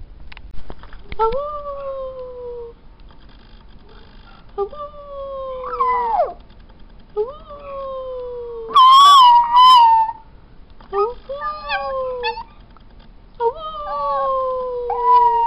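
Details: A black and tan female New Guinea singing dog gives a series of tonal howls, each jumping up abruptly then gliding gently down. One louder, wavering cry breaks the pattern midway, with faint human voices in the background.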